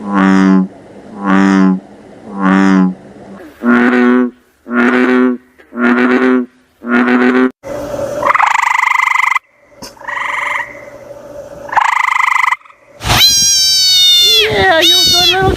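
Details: Frogs croaking: deep, rich, nasal croaks repeated roughly once a second, then abruptly changing to higher, twangy calls and a final burst of shrill, harmonic notes.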